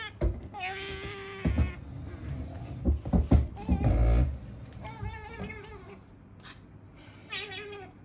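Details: Pet female otter chattering nonstop as she eats: a steady squeal, then loud crunching and chewing thumps, followed by wavering, trilled whines near the end.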